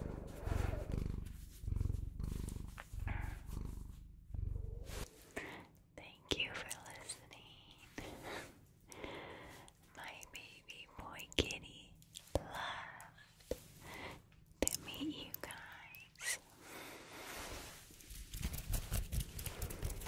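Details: Bengal cat purring indoors, a low rhythmic rumble in steady pulses, strongest in the first five seconds, then fainter beneath a soft whispering human voice and small handling noises.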